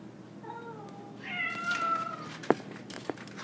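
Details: Pet cat Cosmo, grey and white, protesting an orange tabby outside, draws out one long low moaning yowl that rises into a strained, wavering cry, followed by two sharp knocks indoors.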